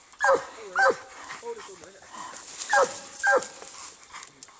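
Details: Treeing Walker Coonhound fighting a raccoon: four loud, sharp barks in two pairs with quieter murmuring sounds between them, over a faint high hiss.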